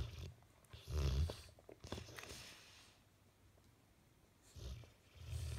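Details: A Bullmastiff asleep, face twitching, snoring for a long time: one heavy, throaty snort-like snore near the start, a quiet stretch of soft breathing, then another low rasping snore rising toward the close.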